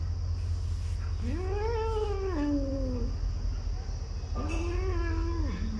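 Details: Domestic cat giving two long, drawn-out meows, the first rising then falling over about two seconds, the second shorter and level, with rich harmonics over a steady low hum.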